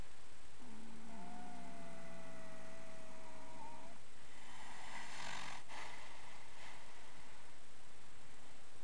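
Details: Dream, a 10-year-old registered Fox Trotter horse, napping in old hay piles one afternoon after romping in the yard. He has hummed while sleeping or relaxing since youth. A steady low tonal hum holds for three seconds, then a breathy snore-like rush follows.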